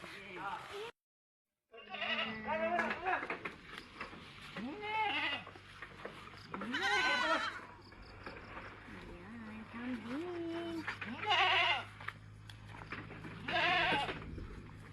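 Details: Goats at a rural goat pen on a farm, bleating in several wavering, rising-and-falling cries spread through the stretch, over background music, clapping and people talking.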